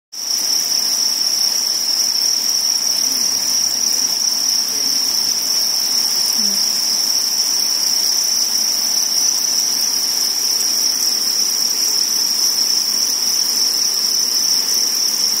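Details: Crickets in a spawning colony give a steady, unbroken high-pitched trill that holds one shrill tone throughout, with a couple of faint low squeaks near the start and middle.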